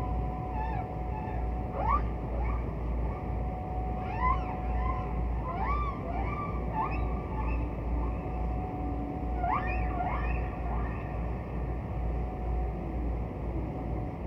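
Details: Humpback whale song from archival recordings of a distant whale singing: a series of rising, whooping upswept moans and squeals repeating every second or two, with a steady low rumble of ocean noise and a faint constant tone underneath.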